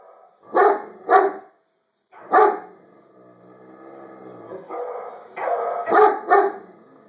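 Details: Great Dane indoors, reacting to recorded dog barking on screen: loud doubled barks, a pause, another bark, then a drawn-out harmonic whine and more paired barks, with other dog voices mixed in.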